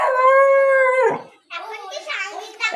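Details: A pet dog fighting a mongoose holds a sustained, even-pitched howl for about a second before it sags and fades, followed by rough, excited human speech and a few higher cries.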